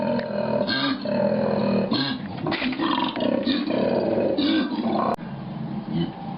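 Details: Harsh, low koala bellow in a run of rough grunting phrases, each swelling and fading, with a growling, snoring texture and a short sharp click near the end.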